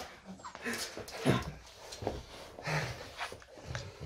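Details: Loki the French Bulldog at home in the morning, giving a run of soft whines and grumbles. One sharper moaning note comes near the start, then quieter nasal whimpers and panting, indoors.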